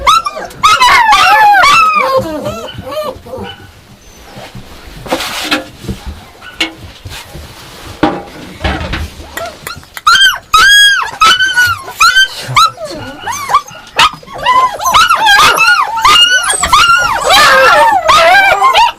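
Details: Yakutian Laika letting out bursts of shrill, arched yelps and whining barks, a dense outburst at first, a quieter stretch with scattered clicks and rustles in the middle, then another eager, overlapping volley.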